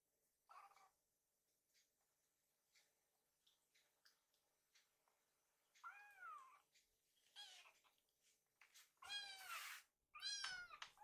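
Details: Hungry rescued kittens wait in a kitchen as food is prepared, giving scattered arched meows, quiet at first, then louder, longer overlapping cries near the end, with faint household knocks.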